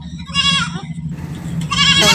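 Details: Farm goats, a herd of about a hundred kept for business in Bengal, bleating: two harmonic, wavering bleats with a steady low hum and engine-like drone beneath.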